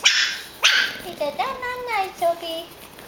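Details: Four-week-old pug puppies, four of them, giving high wavering whines and a couple of sharp yips, the whines sliding down in pitch and repeating at short gaps; a person's voice is heard nearby indoors.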